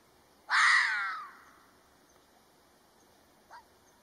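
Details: A red fox (Vulpes vulpes) gives one harsh, raspy bark that trails off, then a faint short call.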